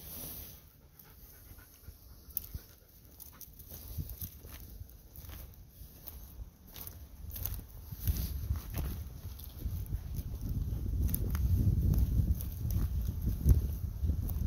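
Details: Golden Retriever named Angie running out of woodland onto the top tier of terraced fields, energetic; rapid rhythmic panting breaths, about three to four per second, growing louder over the clip with footsteps and grass rustle underneath.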